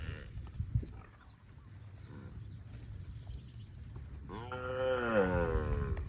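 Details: Cattle roaming in fields, one drawn-out harmonic moo rising then falling in the final two seconds, preceded by quiet low rumbling background and a faint thin tone.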